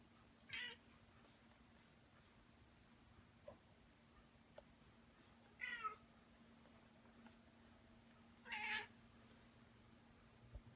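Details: Female domestic cat carrying her favorite toy in her mouth, calling as if showing off her prey. Three brief, bright chirping calls roughly three to four seconds apart, over a faint steady hum.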